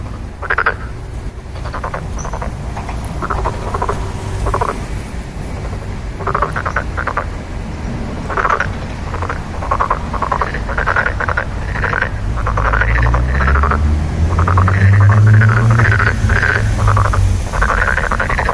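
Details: Frogs calling in rapid, rattling pulsed croaks, bursts repeating about three times a second, while a low engine drone builds and rises toward the end.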